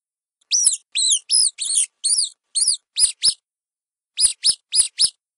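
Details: Mouse squeaking: a quick run of eight high, arched squeaks, each harmonic-rich and bent downward, then a pause and four more sharp squeaks with faint clicks, against a silent, clean background.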